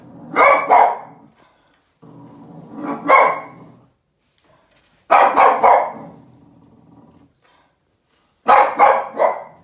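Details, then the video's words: Yoda, a Boston terrier, barks angrily at a trash can: four short bursts of sharp, harsh barks, roughly two seconds apart, with low rumbling growls trailing after some of them in a quiet indoor space. "Yoda the Boston terrier angry and barking at the trash can"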